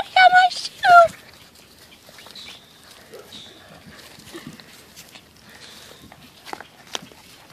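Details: Six-week-old Catahoula Bulldog puppies: two quick, high, yelping barks at the start, then quiet rustling and faint background sounds.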